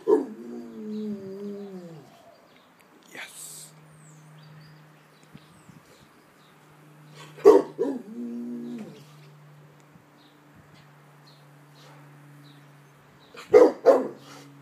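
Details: Rottweiler guard dog at home, alert toward a high-pitched ambulance siren: a wavering, harmonic howl-like whine at the start, then two short bursts of sharp barks, each trailing into a warbling whine, spaced about six seconds apart.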